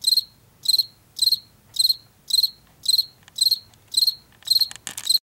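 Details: Field cricket in Washington, heard in late summer and fall, giving regular pulsed chirps about twice a second, ending with a brief scraping click noise.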